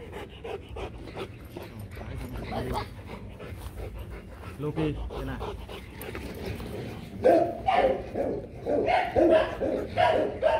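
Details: Rottweilers Loki and Siro during a mating session, with low panting and human voices at first, then a run of loud, rough barks over the last few seconds.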